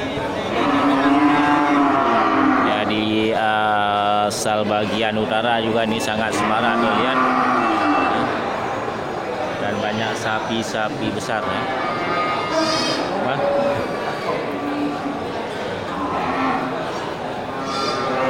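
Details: Bulls for slaughter at Geulumpang Payong livestock market, 8 May 2021. A strong harmonic moo rises mid-way through, surrounded by voices, clatter and general market noise.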